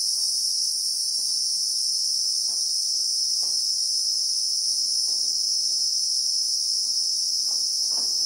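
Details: South African bushveld cicadas, called Christmas beetles, recorded in real time: an even, sizzling high drone fills the air while faint low knocks and rustles come every second or so.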